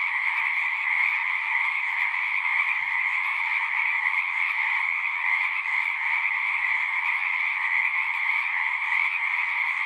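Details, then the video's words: Many frogs calling at once from a pond in a horse pasture, producing a thick, pulsing trill chorus concentrated in a high band over a lower band, sustained and uniform, no breaks in the sound. "Frogs singing"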